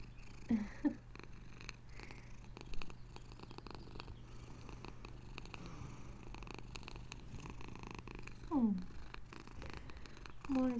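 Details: Pet cat purring gently indoors, a low, soft, continuous rumble running through the clip, with brief affectionate words from a woman's voice near the start and end.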